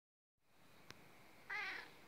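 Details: Cat Notka meowing to demand breakfast, a meow meaning give me my breakfast; one short harmonic-rich meow near the end after a quiet start and a single click.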